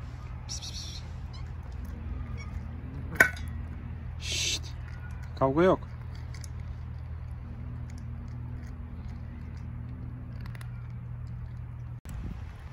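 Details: Hungry stray kittens on an Istanbul street start meowing when the person who feeds them appears; one short, wavering harmonic meow stands out mid-clip over a steady low hum, with soft speech, a few sharp clicks and taps.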